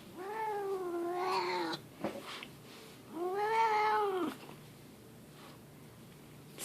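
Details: Grumpy pet cat Leo yowling out of the blue indoors: two long, arched, drawn-out moans about 1.5 seconds each, separated by a short pause, with a person's voice talking to him in between.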